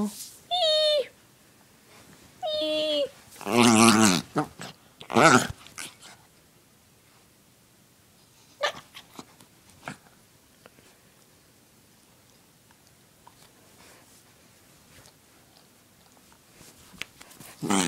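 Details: Male pet dachshund, called a wiener dog, making odd noises and sneezing: two short high whiny harmonic cries open, then loud breathy bursts like sneezes around four and five seconds, a few soft snorts, then quiet with faint clicks.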